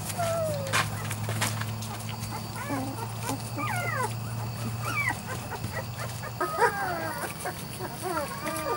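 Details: Weimaraner and Weimaraner x Vizsla litter puppies, three to four weeks old, several high squeaky whimpers rising and falling in quick bursts, over a steady low hum that stops partway through.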